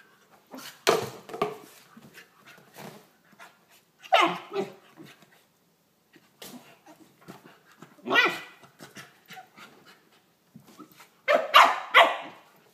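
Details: Corgi puppy playing with a ferret at 1:30 at night, after almost an hour of play: bursts of rough, breathy yips and growly huffs, several quick pulses each, every few seconds with scuffling between.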